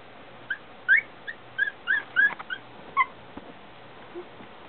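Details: Squeaky, high-pitched whimpers come in a rapid burst of about ten short notes, some bending upward, from 22-day-old Shih Tzu puppies of Lily's litter, filmed indoors by a puppy cam on September 3; faint clicks follow.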